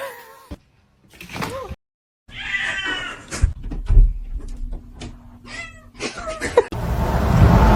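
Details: Domestic cats from a funny pets compilation giving short, bending meows near the start, then higher wavering cries, cut between abrupt edits with human speech, brief music and clattering noises throughout.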